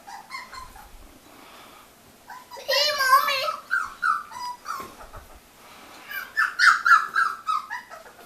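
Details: Miniature Australian Shepherd puppies whimpering and squealing in high, wavering cries, a quavering burst near the middle and a cluster of rising-falling whines toward the end, with a person's voice mixed in.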